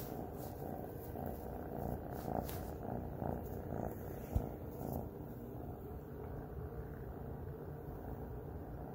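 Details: Luna, a pet cat, purring while snuggling: a steady low rumbling drone pulsing in soft regular waves, with a faint brief click midway and a quiet background hiss.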